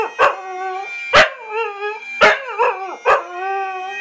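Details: A Scottish Terrier sings along to "Flower of Scotland," as he does whenever it plays, howling in short wavering phrases, each starting with a sharp yelp that bends into a sustained tone.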